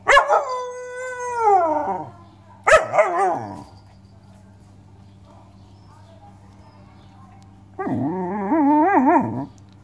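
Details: Malamute dog voicing a long sliding howl that drops at the end, a quick yodelling yelp, then after a pause a wobbling, undulating 'woo-woo' warble lasting about two seconds.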